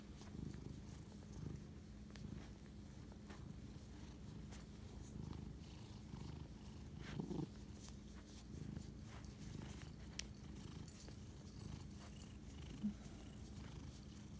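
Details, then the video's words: Cat purring at night on 25 March 2019 while bonding with its owner, a long low vibrating rumble that rises and falls with each breath, broken by a few soft clicks and rustles. "spirit animal bonding asmr cat purr"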